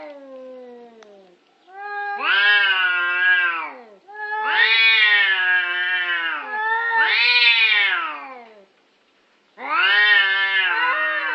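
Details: Orange cats fighting over a parking spot: long wailing yowls rising and falling in pitch, four drawn-out howls of one to two seconds each with short gaps, rich harmonic tone, no other clear sounds.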